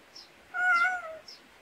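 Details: Pet cat raised in the Korean countryside, in a backyard: one clear, tonal meow lasting under a second, steady then dipping slightly at its end, with faint high bird chirps just before and after.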